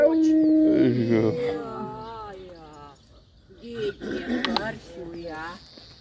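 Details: An Alaskan Malamute howls during a morning meeting on a dog walk: drawn-out, gliding howls that fall and waver over a couple of seconds, overlapped by people talking in a friendly tone.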